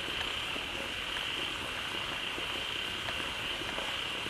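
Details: A pond where a waterfall has just started flowing draws a quickly gathering throng of frogs calling loudly together. Their massed calling forms a thick, unbroken high-pitched drone over rushing background noise.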